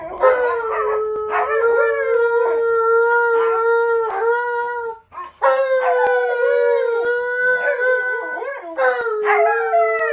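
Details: Howling from Malamute puppy Alyeska joining recorded howls of Malamute Tonka and Husky Monroe indoors: steady sustained notes with quavering, warbling upper voices layered over them and a brief break midway before the chorus resumes.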